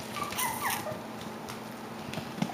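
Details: Indoor Klee Kai and Shiba Inu puppy, over five weeks old, giving short high whistled whimpers that slide up and down, two or three in quick succession, followed by quiet room noise and a click.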